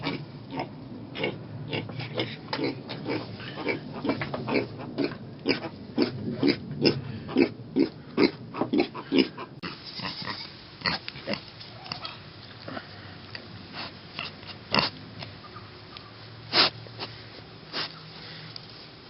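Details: Mini pig piglets on a farm grunting in a fast, busy run of short, rough pulses for about ten seconds, then slowing to scattered grunts and snorts.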